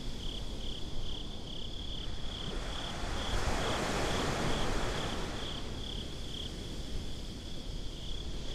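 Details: Binaural night ambience from a beach, where crickets keep up a continuous, quick, high chirping rhythm while a wave rushes in and recedes at mid-length beneath them.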